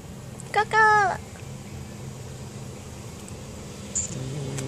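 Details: Siamese cat; threat call; threatening another cat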